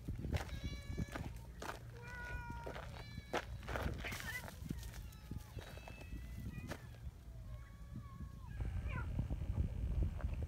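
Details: Outdoor community cats assembling along a mountain trail. Several short, tonal meows come one after another at irregular intervals, some bending downward, mixed with footsteps, rustling and a constant low drone.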